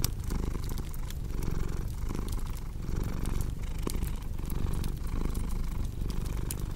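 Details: Deep rhythmic cat purr, each breath cycle about two-thirds of a second, rumbling beneath frequent sharp crackles from a burning fireplace.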